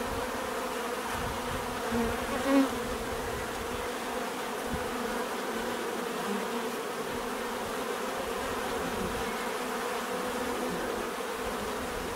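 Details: Bees buzzing in nature, a constant rich drone of many wings at mixed pitches, one bee briefly swelling louder near the start before the even hum resumes.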